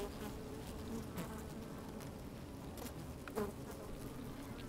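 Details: A colony of honey bees moving about inside an opened hive in sunshine, with the microphone lowered among them. A soft, even hum runs throughout, with a sharper buzz of a passing bee just past the middle.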